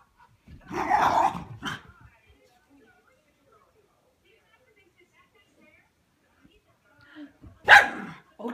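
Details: Cairn Terrier puppy at play with an adult dog, Whiskey and Charlie; a few sharp barks open the clip, then near silence, then a sudden loud bark near the end.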